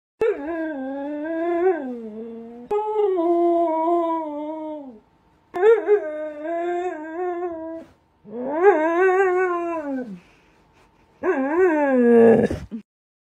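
A Siberian Husky produces a run of long, yodeling vocalizations, each swooping up and then sliding down in pitch. The bouts last two to three seconds, separated by brief pauses, and sound like the dog is talking back.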